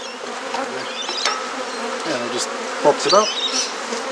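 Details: Honey bees during a hive inspection while frames are swapped in a garden in Mosman Park, Perth, Australia: a steady low colony hum with sharp handling clicks and short squeaky sweeping sounds near the three-second mark.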